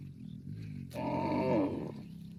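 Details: Cow mooing to call its extended family: a low hum rising into one loud, harmonic-rich moo about one second long, starting and ending abruptly.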